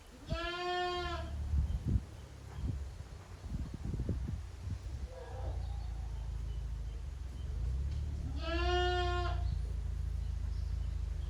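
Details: Young goat kids playing hard in the exercise yard at Yoshigake goat farm, a handmade farm, on 30 April 2023: two clear, wavering bleats rich in overtones, about seven seconds apart, over a steady low rumble and some knocking.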